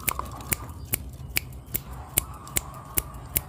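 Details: Sharp snipping clicks repeat about every half second over a low indoor rumble, with no animal voice heard.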